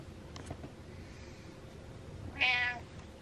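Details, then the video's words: Indoor house cat telling its owner to get up; after quiet room hiss, a single short, bright meow rises late in the recording. "Cat Tells Dad To Get Up"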